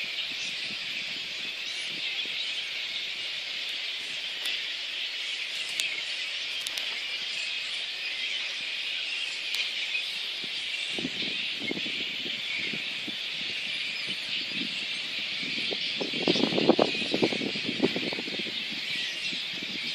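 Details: Shrill, unbroken chatter from a little red flying fox roost in Boonah, Queensland, Australia, recorded 19 February 2014 as council and contractors disturbed the colony. Rustling and crackling from the branches swells near the end.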